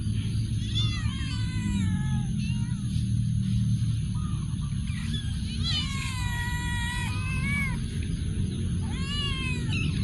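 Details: Cats in a warehouse giving a series of meows, arched wavering cries spaced a few seconds apart with a longer cluster in the middle, against a steady low hum and a high-pitched electrical tone.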